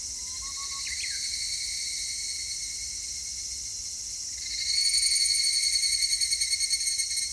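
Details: Evening cicada (Tanna japonensis) song recorded 3 August 2021: a high, ringing song swelling midway into a fast pulsing trill over steady insect hum.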